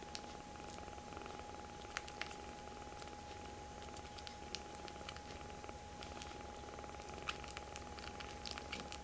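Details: Very close, affectionate foster kittens, rescued babies, pile onto a hand in a small room. A continuous low purr runs throughout beneath scattered ticking clicks and light scratching sounds.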